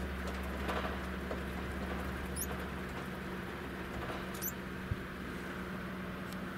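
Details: During mating, Cairo spiny mice utter a pair of tiny high chirps, each a quick rising squeak, separated by about two seconds, against a droning low hum and light scuffling.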